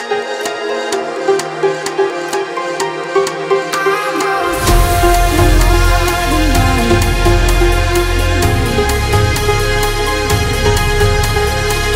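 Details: Electronic music with a sparse pulsing beat that swells into a dense, loud dubstep-style track, with no animal sounds.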